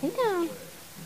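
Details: A puppy from Libby and Hoops' litter, born January 28, 2012, gives one short, high whine that slides steadily downward with bright harmonics, indoors, after a person urges the mother dog Libby to lie down.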